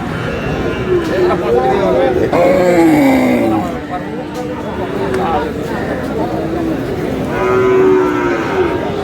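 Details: Friesian and cross-breed bull calves at Aftabganj cattle market, Dinajpur, Bangladesh, on 29 July: drawn-out, falling moos around the third second and again near the eighth, with steady crowd chatter and bargaining voices throughout.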